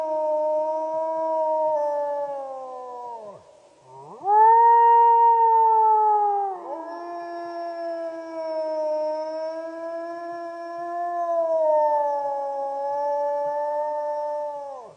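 A wolf howls in long, sustained tones that hold level and then fall away at the close of each note. After a short pause a louder, higher howl starts, then settles into a lower, wavering held note.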